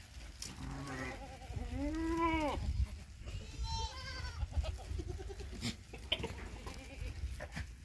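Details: On a Rajasthan goat farm in Nagaur, a Sirohi goat gives a deep, arching, drawn-out bleat that rises and falls, then a shorter higher one, over steady low rumble and handling noise.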